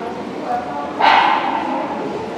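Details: Single abrupt bark from the Labrador Retriever Yankee Goodwill Majoraska during Obedience-1 competition at the St Petersburg Cup, 11.02.2018, a bright tonal bark with a reverberant tail above constant background hum and distant voices.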